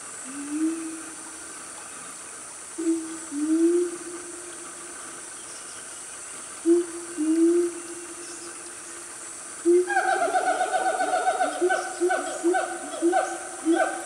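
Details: A loud family of siamangs in Gunung Nuang forest, Selangor, Malaysia, at about 10 am on a cool morning: low hooting whoops in spaced bursts, then a rapid run of rising, overlapping calls from about ten seconds on, over steady insect hiss.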